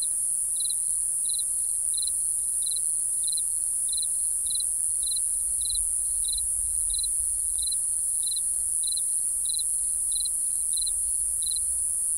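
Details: Crickets at night: a brief pulsed chirp roughly once every 0.6 seconds, regular and sustained, over a continuous high whining insect chorus.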